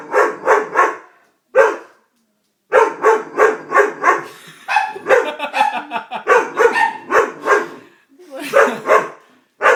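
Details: Doberman scared by a prank, barking in loud bursts of three to four quick barks separated by short pauses, with some overlapping voices and noise in the middle.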